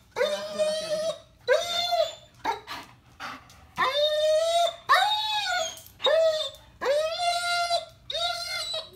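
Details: German Shepherd, four years old, in a two-week board-and-train program in Virginia. Six drawn-out tonal whining cries rise then fall, each lasting under a second, about one per second, indoors in a small room.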